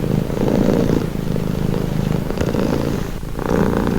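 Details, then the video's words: A cat purrs continuously in a soothing, calming recording, the low vibrating rumble cycling between inhale and exhale phases, with a stronger swell at the start and end. "Purring cat | Calming Relaxing Nature Sound"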